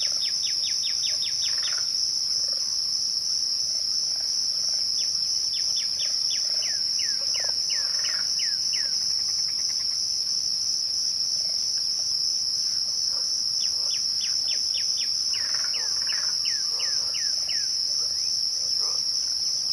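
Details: Crickets at twilight hold a steady, unbroken high-pitched trill throughout, while a bird adds bursts of quick, descending whistled notes in several separate runs.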